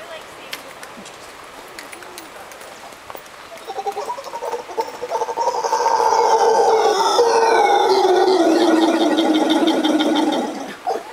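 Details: Howler monkeys calling at sunset in Costa Rica: after a few quiet seconds, a loud, sustained, rough roaring chorus swells in and holds for about five seconds with layered harmonics, then breaks off abruptly.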